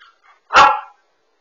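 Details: Husky dog chasing its tail indoors, captured on a smart dog camera: one loud, short, harsh bark in a quiet room, with faint softer sounds just before it.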